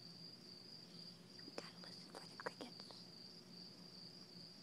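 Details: Crickets give a steady, high-pitched trill that runs unbroken through the night air, heard outdoors from a hammock on a starry night.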